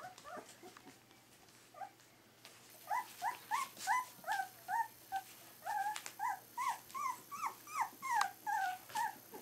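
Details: Three-week-old Berger des Pyrénées puppies: a few soft whines, then a fast run of high, squealing whimpers that slide up and down in pitch, about two to three per second, with a faint hiss behind.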